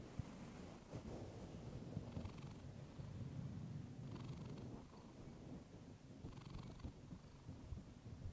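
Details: A female house cat purrs close to a fluffy microphone, the deep vibrating rumble rising and falling in a regular breathing cycle, with a brighter inhale phase about every two seconds and a few soft taps near the start.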